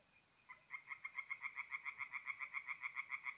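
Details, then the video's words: Tree frogs singing at night at a forest pond in mid-April in north-east Italy; a rapid train of harsh, evenly spaced pulses starts after half a second and repeats steadily to the end, with a faint second band below. "relaxing forest pond by night with singing tree frogs"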